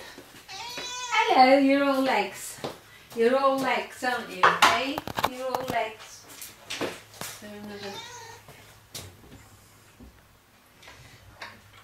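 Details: Cat at Dove Cat Rescue sanctuary waiting to be rehomed, indoors: several drawn-out, wavering meows rising and falling in pitch, in three bursts over about eight seconds, with a person talking softly nearby and quiet room sounds.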